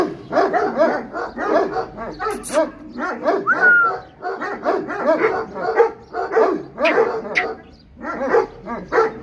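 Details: Bully Kutta dogs fighting: a rapid, continuous stream of harsh barks, snarls and yelps in short bursts, some rising whines in between, lasting about nine seconds.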